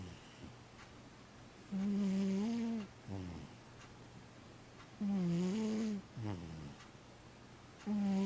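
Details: Sleeping cat snores in a small room. Three long, droning inhale snores slightly rise in pitch at the end, spaced roughly three seconds apart. Each is trailed by a brief, lower, rough puff of breath.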